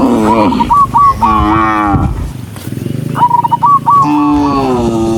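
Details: Docile cows walking along a country road to the barn give loud, deep, drawn-out moos, several overlapping, with a quieter gap in the middle and short, repeated high chirping notes.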